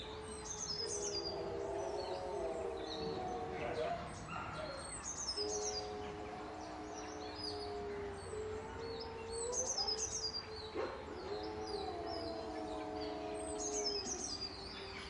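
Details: Captive wolf pack howling amid fighting, long even-pitched howls overlapping and breaking off, then resuming in a chorus, with birds twittering high throughout and a few brief harsh bursts.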